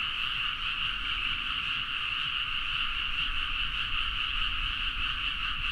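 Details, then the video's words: Midnight chorus of frogs in rice paddies of Nagaoka, Niigata, Japan, recorded on a Zoom H4n; unbroken layered croaking without pause, steady in loudness throughout, with a rumbling low background. "The frog sound at mid night (環境,自然音 -深夜のカエル大合唱-)"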